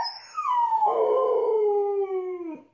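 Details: Husky letting out one drawn-out howl lasting over two seconds, starting high, sliding steadily downward and ending abruptly, clear and rich with no other sounds.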